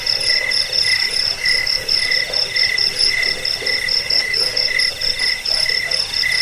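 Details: Crickets used to repel rats, aid sleep and tutor cage birds. Clear, regularly repeated high chirps, roughly three per second, ring over a softer continuous shrill trill from other insects.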